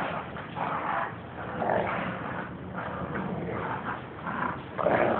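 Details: Dogs, a pit bull and a toy fox terrier, playing tug of war; low rumbling growls swell and fade in uneven bursts across the clip, with no clear barks.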